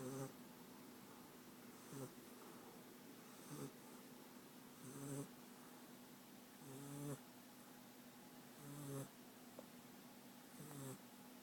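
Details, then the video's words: Sleeping American Staffordshire Terrier puppy named France, from Rostov-on-Don, snoring indoors: short nasal snorts with a buzzy low tone, repeating roughly every two seconds in a steady breathing rhythm, about six bursts over a quiet room background. "Щенок амстафф Франс храпит"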